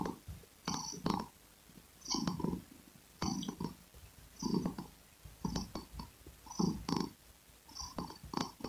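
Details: Close, breathy purring of a domestic cat in rhythmic low pulses roughly once a second, separated by short quiet gaps, with small clicking noises.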